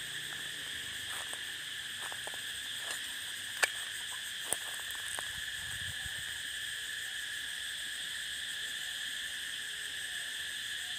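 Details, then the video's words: Unbroken shrill cicada drone on the prairie, steady high bands throughout, interrupted by a few sharp clicks or taps in the first half. "Explore the prairie sound of cicada"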